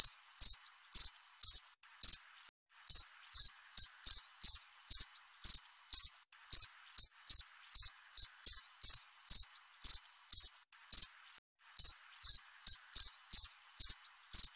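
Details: Cricket calling nonstop with crisp, high trilled chirps, about two per second, rhythm loosely uneven, no other sounds present.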